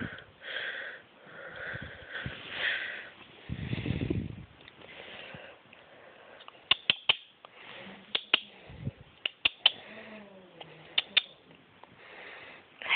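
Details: Koa, a ten-week-old Chihuahua puppy during tummy time, makes soft, breathy sniffing bursts through the first half. Sharp clicks and taps follow later, with a faint low murmur near the end.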